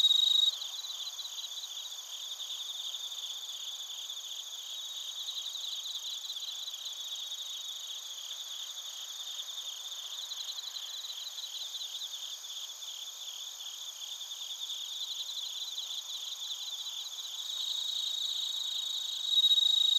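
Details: Bell crickets and other crickets at Narita, Chiba Prefecture, Japan, recorded with a TASCAM Portacapture X8. A sustained high chorus of rapid, rhythmic pulsed trills that swell and fade in waves, with a louder ringing voice at the start and end.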